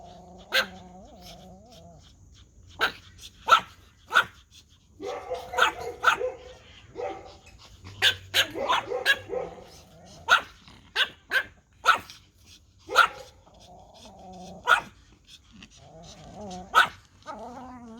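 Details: Toy Pomeranian dogs bark at a whistle, giving sharp, high yapping barks in quick bursts, with whistle-like tones between them.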